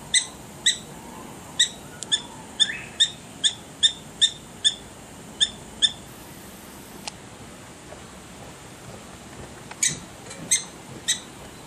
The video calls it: Prairie Dogs Barking